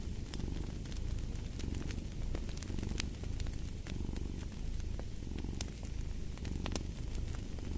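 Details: Cat purr mixed with fireplace ambience, the deep continuous rumble swelling and easing with each breath while bright crackling snaps of the fire punctuate it irregularly.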